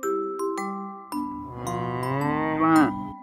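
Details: Cow mooing for children learning farm animal names: a single long, low, harmonic moo that swells and ends in a brief upward pull, preceded by light mallet-percussion music notes.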